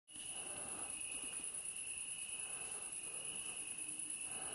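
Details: Crickets at Curmătură, a village in Buzău, Romania, on 4 September 2018 sing a steady, unbroken trill, with a thin, very high shimmering buzz above it.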